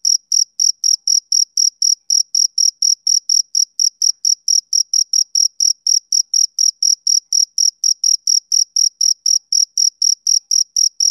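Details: Summer evening song of a male cricket: a long, unbroken series of high, ringing chirps, about four each second, steady in pitch and loudness, on a silent background.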